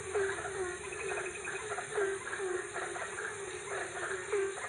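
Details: Night-time frog chorus from Ambon: irregular short croaking notes, some bright and clipped, others rasping, recurring about every second against a constant shrill drone.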